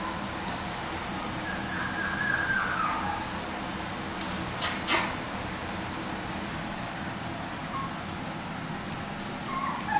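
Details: Micro Mini Goldendoodle puppies almost eight weeks old, born 4/17/14: a thin, high, drawn-out whimper slides gently downward over about a second and a half, a brief squeak comes near the end, and sharp knocks and clicks sound over a steady low hum.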